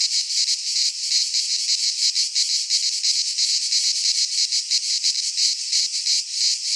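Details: Chorus of cicadas in a Greek pine forest during midsummer: steady high buzzing chopped into quick pulses, roughly three per second, loud and constant.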